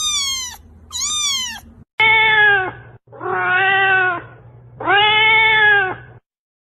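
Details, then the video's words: Domestic cat meows meant to make a pet cat search for the sound's source: two high, thin, arched meows, then three lower, fuller, drawn-out meows about a second apart, with a faint low hum beneath. "صوت القطط 2022 اصوات ستجعل قطتك تبحث عن مصدر الصوت/ cat sounds"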